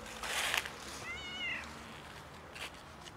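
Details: Cat out in freezing winter weather, looking for warmth, not food, gives one clear meow that rises and falls, with rustling noise just before and after.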